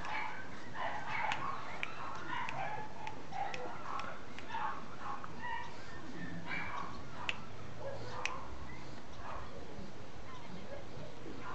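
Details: A female Miniature Schnauzer gives a run of short, high yips and small barks over a low background hum.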